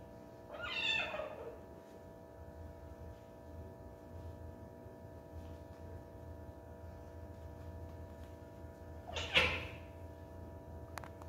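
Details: Two separate meows from Sarina, a pet cat, about eight seconds apart: the first longer and wavering, the second brief and sharp, with a low constant hum indoors.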